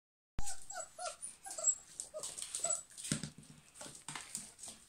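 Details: Several German Pinschers whimpering and yipping: short, high, tonal whines that bend up and down, repeated in quick succession after a sharp onset, with hissy rustling and a few lower thuds beneath.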